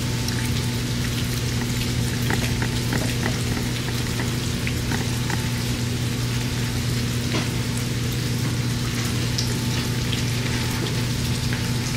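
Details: Steady rain patters on surfaces over a constant low electrical hum, with no animal calls.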